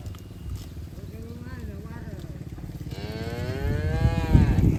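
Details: Farm cattle from a herd grazing on a green field: soft wavering lowing early on, then a louder drawn-out moo with rich harmonics that rises slightly and falls away near the end, over low rumbling background noise.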